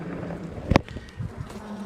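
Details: Honey bees in a small backyard hive opened briefly on a mild 65-degree day while honey frames are added, bees calm: a steady low droning hum with one sharp knock from handling.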